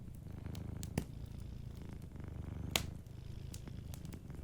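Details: Dozing cat by a fireplace giving a soft, low purr that rises and falls with its breathing, while two sharp crackles from the fire stand out.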